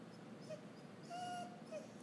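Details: Vizsla dog whimpering while getting a mini scoop of vanilla ice cream as an occasional treat; thin, high, steady whines, a short one, a longer held one, then another short one, quiet against a soft background hiss.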